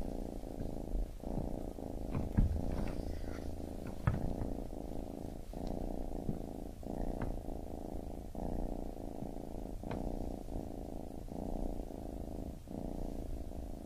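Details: Purring baby kitten, a deep even rumble pulsing with each inhale and exhale about every second, with a few faint clicks and taps.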